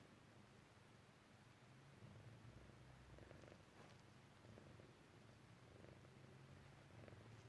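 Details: Sleepy Persian Chinchilla cat purring as it dozes off, a quiet, low vibrating rumble that swells slightly after two seconds, over a steady background hiss.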